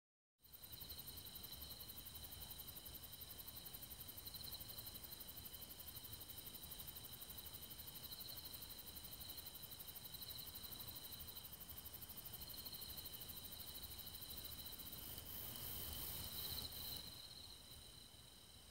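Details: Japanese bush katydid (Ducetia japonica, back-striped katydid), recorded 13 August 2016 in South Korea, where it is very common, sings a steady, high, buzzing trill; its song starts as "chit chit", speeds up and ends with "chiii-it".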